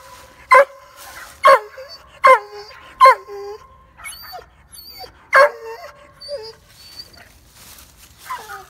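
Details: A German Shorthaired Pointer gives a series of sharp, high, yelping barks with soft whines between, frustrated because his ball went into a llama field and he couldn't reach it through the fence.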